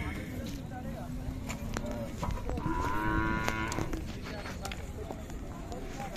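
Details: Khillari cow, sold as a two-litre milker, at the Sangola cattle market, 5 May 2024. A nasal moo swells midway through, surrounded by steady crowd noise and people talking.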